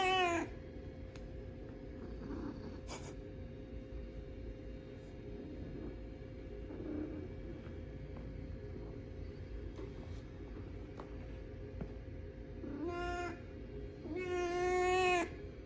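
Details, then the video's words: Cat meowing in short harmonic bursts: one brief cry at the start, another near three seconds, then a pair late on ending in the longest, loudest drawn-out meow, over a steady low hum and faint background noise. "Cat Sound Effect"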